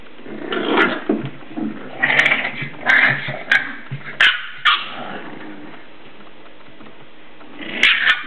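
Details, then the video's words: Seven-week-old English Bulldog puppies at play inside; a busy run of rough little growls and squeaky yapping barks for about five seconds, then a quieter pause before a final burst of yips. "English Bulldog puppies playing inside"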